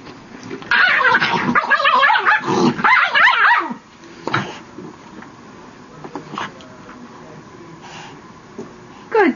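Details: Pet dog reacting as its tail is touched: a burst of loud, rapid high yelps and whiny cries over about three seconds, then quieter scattered whimpers, with a person speaking Spanish at the end.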